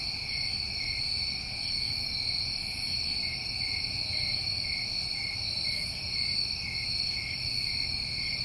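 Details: New England summertime crickets in a dense, steady chorus: continuous high shrill trilling in stacked bands with no pauses, over soft low background rumble.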